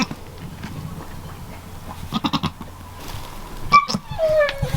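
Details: Newborn goat kids beside their mother Amelia: a short, high, clear bleat, then a second bleat that slides downward, after a woman's brief chatter.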